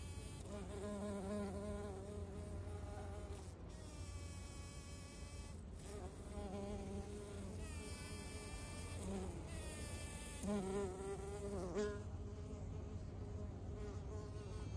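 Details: A metallic green carpenter bee (Xylocopa aerata) pollinating Hibbertia scandens flowers buzzes in loud, low wingbeat bursts that swell and fade over a steady hum.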